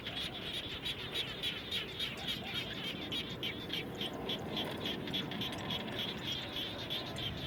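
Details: Frogs heard around a home after rain: steady rapid pulsing calls, about three to four per second, forming a dense chorus over a rushing background hum.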